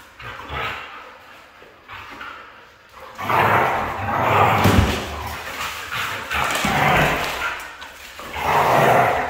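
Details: A red female Siberian husky grows louder after a quiet start, giving a series of rough, moaning vocal bursts of uneven length, with faint speech-like sounds in the background.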